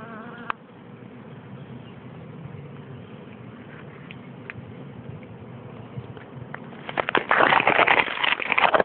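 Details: Bee buzzing: a steady low droning hum runs throughout, with crackling, rustling noise growing louder toward the end.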